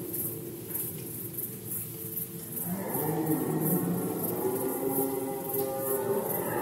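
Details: Red deer during the rut, Poland 2020: a long, rich harmonic roar swells in after a quieter start and holds for several seconds, with a fast rhythmic high ticking throughout.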